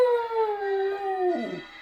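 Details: Dog howling to church bells. A single sustained, gently falling howl breaks into a short quavering tail. Steady ringing tones sit faintly behind it.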